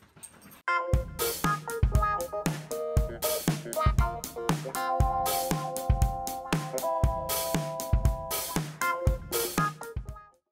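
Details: Upbeat synthesizer and drum-machine music with steady beats and keyboard chords plays throughout, and no animal can be heard.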